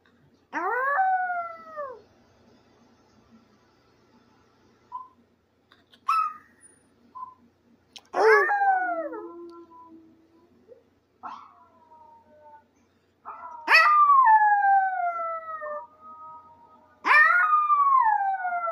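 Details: Howling Maltese dog Benji: repeated loud wails, each opening with a sharp yelp and sliding downward in bright harmonics, interspersed with short whimpering notes and a low moan, roughly every three to four seconds.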